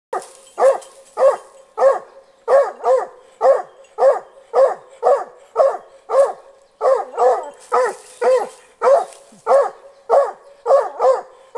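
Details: Young hunting dog just over one year old barking at a wild boar caught in a snare trap during boar-hunting training, keeping its distance; loud sharp barks repeated about twice a second, some doubled, across the whole stretch.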